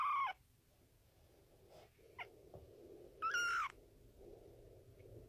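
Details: Kitten meowing, from a compilation of kittens: two short, faint, high tonal mews about three seconds apart, the first slightly falling and the second flat, over quiet room noise with a few soft clicks.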